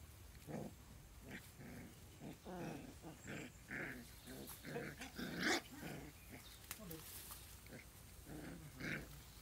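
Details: Newborn puppies playing on a lawn, giving a string of short, harmonic growling yips and whines, bursts every half second or so with brief gaps, over low steady background rumble.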